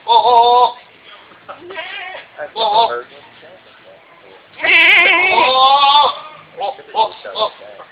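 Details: A goat at the Peanut Festival in Dothan, Alabama gives loud, rough, quavering calls, a hoarse barking bleat that sounded like an old man groaning. Quieter sounds between the outbursts may be people talking.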